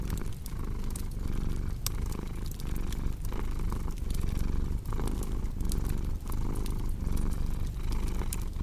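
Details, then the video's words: Soft, rumbling cat purr beating in steady breath-paced waves beneath a crackling fireplace full of small snaps and pops. "Purring Cat with Cozy Crackling Fireplace Sound"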